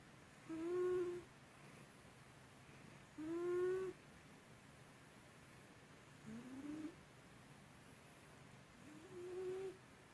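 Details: Byuri the house cat asleep and snoring heavily, loud enough to pass for a person, an old habit worse that day; four whistling, harmonic-rich snores, each under a second, some rising or bending, about every three seconds in a quiet room.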